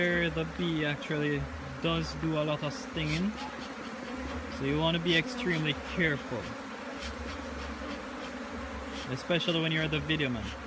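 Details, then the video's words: Jamaican bee hive opened for inspection, with many bees buzzing around it: a dense low drone marked by frequent swooping passes as single bees fly near, rising and falling in pitch, surging in bursts throughout. "JAMAICAN BEE HIVE INSPECTION"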